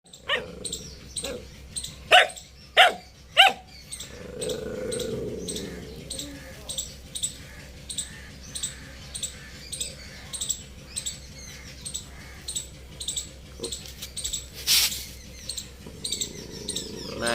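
A Boxer puppy gives a few sharp, yelping barks, then a soft, rapid, repeated ticking sound.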